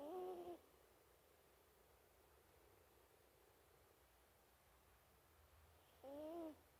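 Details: A sleeping mini Toy Poodle snores softly. Two short, whistling, nasal tones with a gentle rise and fall, about six seconds apart. Faint room hush fills the quiet gap between the breaths.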